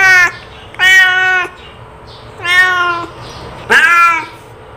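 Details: Four insistent cat meows in quick succession, flat-toned and harmonic, each lasting about half a second to a second, against a low background hum.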